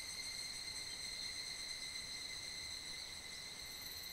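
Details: Great chorus of higurashi cicadas at evening in mid-July, ringing through a foothill valley of Mount Kanmuri, Funo: short burst of steady, piercing, overlapping high tones with small flickering phrases, no pauses.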